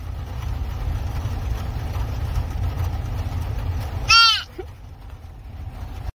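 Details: A deer fawn, just rescued, gives a single short, high, nasal bleat over a steady low rumble.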